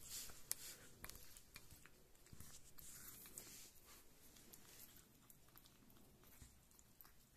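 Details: Kitten Rita, a keen food lover, eating indoors in a quiet small room; soft, irregular wet chewing and biting clicks come roughly twice a second, sharper snaps early on, then fading into faint smacking.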